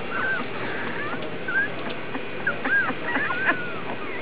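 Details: Vizsla puppies from the Alphabet Soup litter, recorded August 1, give short high whimpers and squeaks, some rising and falling, scattered through steady background noise.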